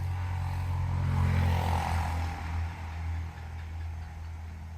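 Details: Steady low engine rumble with strong deep humming bands, swelling and fading slightly as a vehicle passes; no animal voice stands out.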